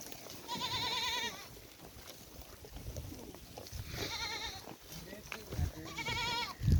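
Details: Goats at a farm in Rajasthan, India, giving three drawn-out, quavering bleats spaced about two to three seconds apart, each wavering and nasal, with faint background voices and low rumbling noise between calls.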